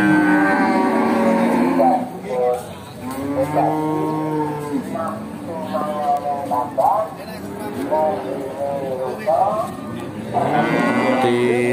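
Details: Cattle at the Bekonang livestock market in Sukoharjo, Central Java, where Simmental and Peranakan Ongole cows and young Simmental heifers are sold: several overlapping harmonic moos, some rising and falling, from multiple animals, with faint background music.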